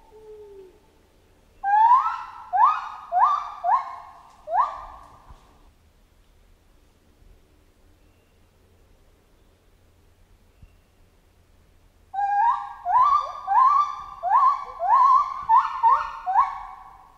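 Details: Chimpanzee calling in jungle: two bursts of loud, tonal hoots, each note sliding upward with bright harmonics, about five to seven notes per burst in quick succession, separated by a quiet pause with faint low background hum.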